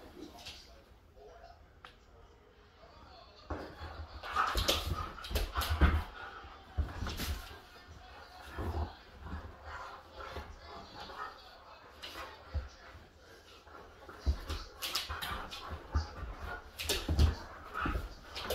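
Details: Pet Siberian Huskies Otis and Kai wrestle playfully indoors; throaty growls, whines and yips rise in scattered bursts between quieter moments, with low thuds, scrabbling paws and a person's brief talk.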